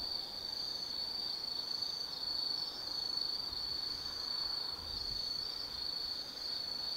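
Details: Autumn insects chirring at night in the forest of Tsukimi no Mori, Kaizu, Gifu Prefecture, Japan, near an observation deck 180 m above the Nobi Plain; a steady, shrill high trill holds without pause, swelling and easing slightly.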